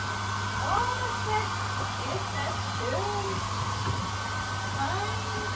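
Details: Golden Retriever puppies getting to know a hair dryer give several high, wavering whimpers and short whines. The steady roar of the dryer runs underneath, and a person speaks at times.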